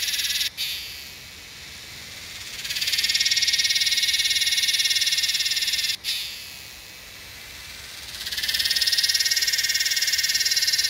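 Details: Cicada song from a Yellowbelly cicada (Psaltoda harrisii), Northern NSW, Australia, 8/12/20: cycles of piercing, rapidly pulsed buzzing swelling up after quieter hissy lulls, broken by two sudden short gaps.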